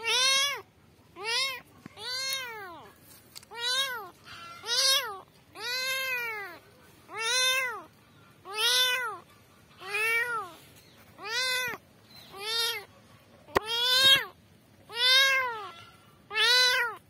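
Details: Kittens crying for their mother in a rapid, insistent run of about fourteen high, arched meows, nearly one a second, each bright and harmonic-rich, with a few sharp clicks in the background.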